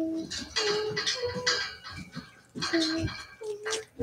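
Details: Cavalier King Charles Spaniel puppies raised indoors, playing in the house; short, high tonal whines or yelps in quick bursts, several in a row, then again after a pause, over clattering household sounds.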